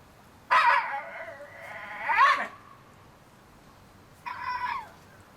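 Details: Shiba Inu puppies, 30 days old: two long, wavering, whined cries that rise and fall over two seconds, then a short higher whine after a pause; the background is quiet.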